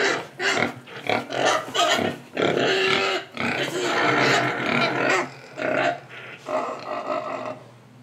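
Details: Pigs in Indonesia grunting and snuffling while eating, a dense, continuous mix of harsh grunts, chewing and snorting noise with few clear pauses.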